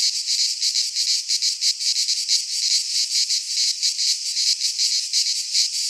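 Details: Cicadas of a Greek pine forest in midsummer, shrill sizzling song with brisk irregular pulsing, loud and constant from start to finish, no other sounds.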